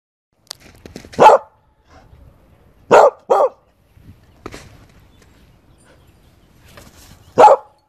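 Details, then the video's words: Corgi Husky mix puppy barking: sharp, mid-pitched barks, a single bark near the start, a quick pair in the middle and another single near the end, with soft rustling and quiet gaps between. "Cute Corgi Husky Mix Puppies"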